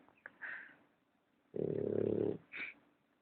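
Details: Male American Bulldog puppy snoring very loudly, one long rough, rattling inhaled snore lasting nearly a second, framed by softer wheezy breaths before and after.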